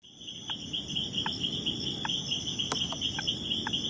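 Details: Leptodactylus troglodytes frog in territorial behaviour, repelling an opponent: short sharp upward note repeated about every three-quarters of a second, over a steady high cricket-like trill and low background hiss.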